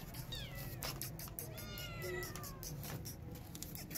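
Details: Angry mother cat chasing a feral cat away to protect her newborn kittens; drawn-out harmonic yowling cries that bend up and down, an early short bout then a longer wavering one, over steady low background rumble.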